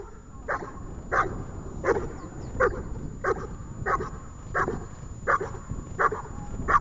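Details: Dog Ajax during a training session in Horlivka on 31 January 2021: short, sharp barks repeated steadily about every 0.7 seconds, each a brief burst with a rough, mid-pitched tone over a low background rumble.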